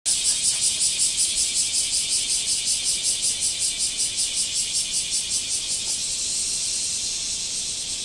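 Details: Cicadas singing in a backyard after several days of rain: a high, hissing buzz pulsing in rapid regular beats that smooth into a steady drone near the end.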